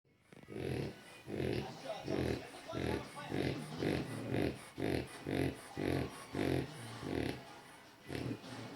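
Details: A French Bulldog napping snores loudly in quick, rasping bursts, each breath a rough, throaty rattle.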